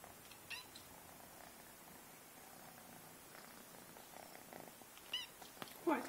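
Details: Marty, a pet cat, grooming her kittens: faint continuous purring under a few brief rustles, with a louder short burst near the end and quiet talk in the room.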